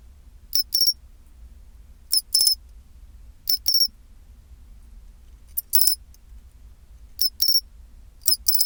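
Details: At 24°C, a pine cricket gives its chinchirorin song: six crisp, high metallic bursts, each a quick tick followed by a ringing trill, repeating roughly every one and a half seconds against a quiet background with a low hum.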